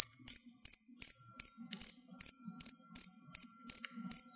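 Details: Captive crickets kept for molting chirp as background sound: sharp, high-pitched chirps, about two and a half each second, evenly spaced over roughly four seconds, with no other sounds.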